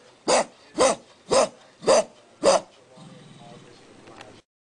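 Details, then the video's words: Pet dog named Costas barking: five sharp, loud barks at an even pace about every half second, then a quieter stretch with a low steady hum and faint rustling. "Costas Barking"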